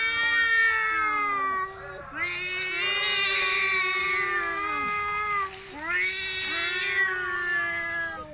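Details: Two village cats in Indonesia fighting and relaxing, giving long drawn-out harmonic yowls that waver and slide in pitch, three sustained wails with brief dips between them.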